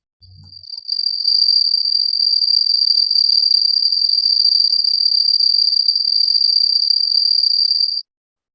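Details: Cricket heard in a listening exercise, likened to a cricket inside a house, with a very characteristic intensity; after a soft low thump, a loud high continuous trill swells in and runs steadily until stopping.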